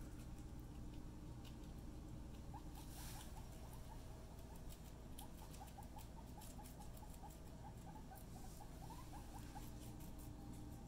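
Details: Pet guinea pig during floor time, playing with a friend: a run of short, quick, rising squeaky notes repeated in rapid bursts over several seconds, over a steady low background hum.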